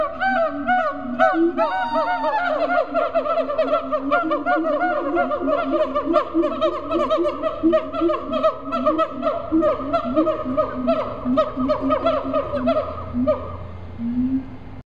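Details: Siamangs, largest of the gibbons, calling at Riverbanks Zoo, Columbia, South Carolina: quick repeated barking hoots over a low boom, an accelerating chorus that fades near the end, with faint background rumble.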